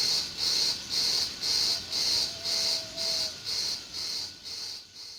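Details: June meadow crickets give high, evenly spaced chirps roughly twice a second that gradually fade toward the end, with a faint, low, drawn-out whistled tone passing midway.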